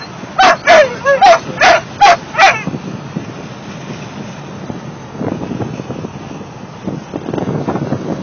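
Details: Sixteen-week-old mastiff pups singing: six quick, evenly spaced yelping bursts in the first two and a half seconds, followed by softer indistinct rustling and low noise.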